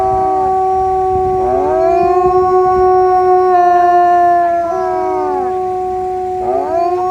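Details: A gray wolf howls in long, steady, mournful notes that swoop up at the start and trail away.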